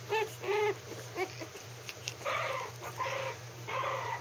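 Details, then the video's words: Three-week-old Maltese puppies, still wobbly, playing together in a play pen: short harmonic yelps and whining cries in quick bursts, some rising then falling, over a steady low hum. "Cute maltese puppies playing in their pen at 3 weeks old - Pups are growling howling and having fun"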